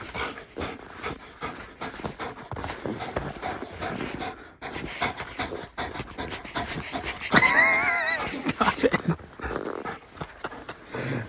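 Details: Raya, a 1.5-year-old female German Shepherd obsessed with sticks, pants rapidly and unevenly during outdoor stick play after climbing a big hill; a brief high, bright burst near the eighth second, with an owner's voice calling in the background.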